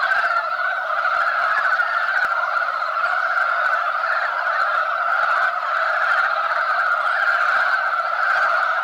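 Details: Mountain frogs at a spawning site, many males scrambling and fighting over buried females; a dense, unbroken croaking chorus sits steadily in the mid range with no pauses from start to finish.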